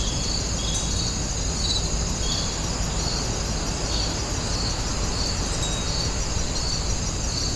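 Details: Grass insects heard at Wonginjae: rapid high chirps pulsing evenly, layered on a constant shrill drone and a strong low background rumble.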